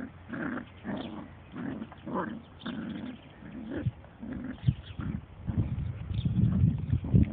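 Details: Dandie Dinmont Terrier mother named Lady playing with her puppies and other dogs; low, rumbling growls in irregular short bursts, roughly two per second, with brief pauses between them and a scuffling sound near the end.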